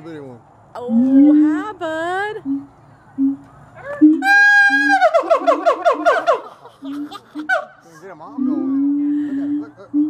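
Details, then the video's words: Captive siamangs at Gulf Breeze Zoo calling back and forth: low steady hums broken by sharply rising harmonic whoops, then a loud burst of quick rising notes in the middle, with the low tone resuming after. People murmur nearby. "Gulf Breeze Zoo Siamang"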